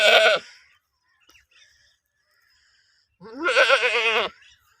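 A goat gives two bleats, a brief one and then a longer, wavering cry.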